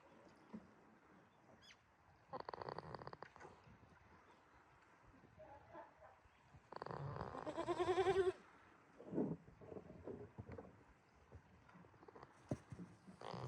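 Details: Sleeping goat named Jitta at Yoshigake farm, Himi, Toyama Prefecture, Japan, 11 March 2026: rough, pulsing snore breaths roughly four seconds apart, one ending in a brief rising, wavering tonal note, with faint clicks and rustles around them.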